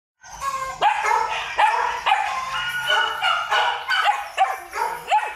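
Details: Male Belgian Malinois at a breeding kennel barking in a steady series, sharp harmonic barks roughly every half second to second, each with a rising-falling bright tone, little background noise.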